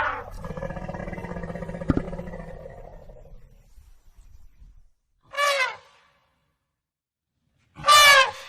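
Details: African elephant giving a low, harmonic rumble that fades over three seconds, followed after a pause by two short, bright, blaring trumpet blasts.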